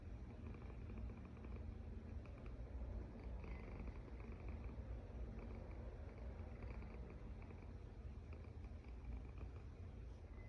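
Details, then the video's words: Steady low growl-like snoring of a sleeping cat, holding an even level throughout with faint higher hiss in the background. "Snoring Cat"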